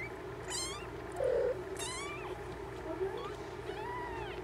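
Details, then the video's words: Mother cat checking on her kittens. Several short, high, rising mews with stacked overtones come at intervals, with softer lower calls between them over a steady low hum. "Mama checking on her kittens"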